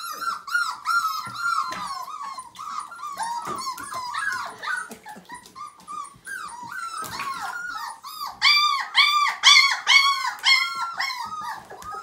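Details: Five-week-old Siberian Husky puppy, one of a litter of nine, whining insistently during its first bath, continuous rising-and-falling arched whimpers with bright overtones, about two per second, building to louder bursts near the end.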